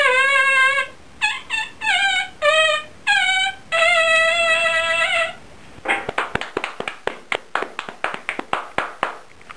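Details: Chihuahua known as the Happy Birthday Chihuahua howls a string of sustained tonal notes, one long held note near the end, then breaks into a quick series of sharp, clicking pulses, indoors.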